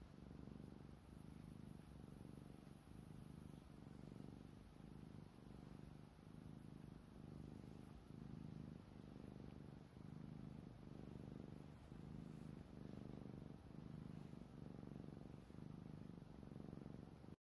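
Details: Sleeping black cat lying on a blanket in the heat, quietly snoring: a continuous low, throaty rumble rising and falling with each breath about once a second, over a faint steady hiss.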